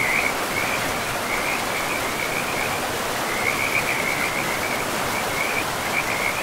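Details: Frogs chorus along a forest river among trees and moss-covered ground, giving runs of high, rattling croaks with brief pauses between groups, while rushing river water fills the background throughout.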